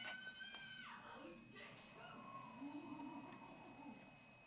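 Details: Ragdoll cat just arrived in its new home, giving a drawn-out meow that starts high and slides downward, followed by softer wavering vocal sounds, over steady indoor hum.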